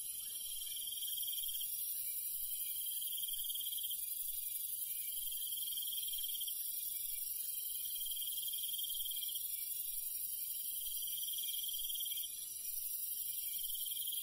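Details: Crickets and other night insects in the countryside after dark: a dense, steady high-pitched chorus, with a clearer trilled band repeating in bursts of about two seconds over it.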